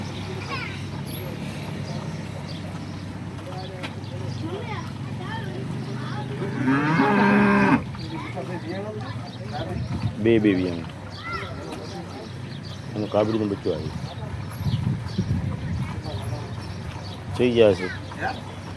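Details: Horned Banaskantha local cow in first lactation, milking nine liters: a brief moo lasting about a second sounds early on, amid a man talking at length and scattered farm noises.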